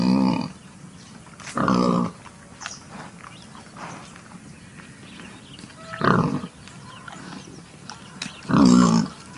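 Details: Wild pigs give four loud, harsh grunting squeals spaced a few seconds apart, each about half a second long and rich in layered tones, with quiet rustling and a faint steady hum between calls.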